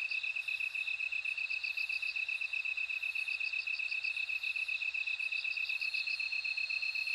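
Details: Insect night chorus with bell cricket: a sharp, high pulsing rhythm repeats about four times a second, overlaid by clusters of faster, higher bell-like trills and a ringing tone near the end.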